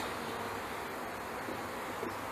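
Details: Package honey bees being installed into a hive in May 2013, landing on the beekeeper as the frames are centred; a dense, steady hum of many wings fills the clip at an even level throughout.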